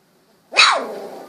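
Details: A 16-day-old Golden Retriever puppy, eyes recently opened; one abrupt, harsh little bark with a noisy tail fading over half a second.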